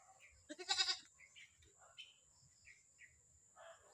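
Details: Newly acquired pet Visayan goat giving one short, loud, quavering bleat that lasts about half a second, followed by scattered faint chirps and soft background sounds.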